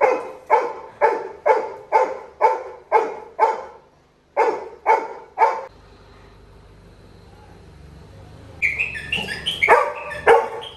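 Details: Little John, a Labrador Retriever puppy, cries in a village when his brother departs: a steady train of about eleven evenly spaced yelps, a lull with low background hum, then higher chirping sounds.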